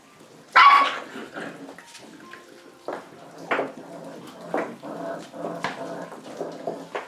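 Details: Rottweiler puppies at feeding time: a sharp yelp, then a string of short, scrappy yips and snuffles.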